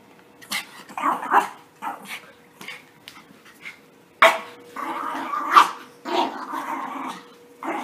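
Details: Puppies romping together in play just after their bath, giving short sharp barks mixed with growly yaps in irregular bursts, some notes running into longer rough growling stretches, with a faint steady hum behind.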